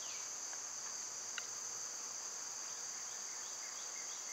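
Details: A continuous shrill insect drone from summer cicadas fills the air evenly, broken only by a few soft tapping clicks and faint, brief bird notes.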